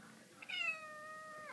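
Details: Exotic Shorthair kitten wanting lots of hugs and scratches, giving one clear drawn-out meow with stacked harmonics, starting high then gently falling and levelling off over about a second, indoors.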